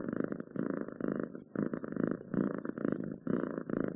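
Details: Close purring from a domestic cat, rhythmic rumbling bursts about once per second separated by short gaps as it breathes, quiet background.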